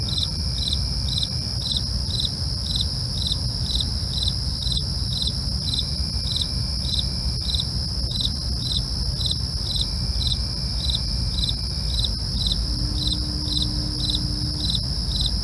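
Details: Crickets calling at night, rapid evenly spaced chirps layered on a sustained high-pitched ringing trill, low rumbling background noise throughout.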